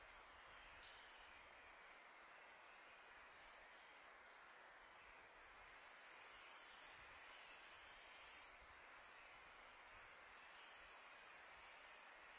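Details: Summer-night crickets trilling continuously at a high, steady pitch, a few brief brighter chirps standing out above the drone, set against gentle wind hiss.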